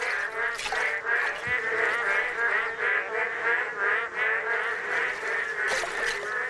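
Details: At Misari Park, a dense chorus of male boreal digging frogs in newly formed rain pools gives nasal, honking calls that overlap in quick succession as they call for mates.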